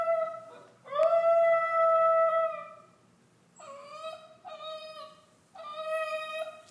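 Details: A female Basenji puppy, left alone in her cage, yodels with a long, clear, steady tone, then three shorter wavering cries.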